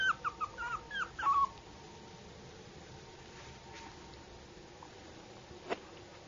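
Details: Yorkshire Terrier puppy giving a short burst of high, falling whimpers in the first second and a half, followed by quiet room noise with one faint click.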